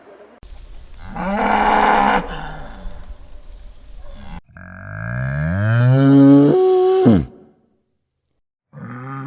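A bull gives deep, drawn-out moos: a rough low bellow, then a long call that rises in pitch and breaks off, with another starting at the end.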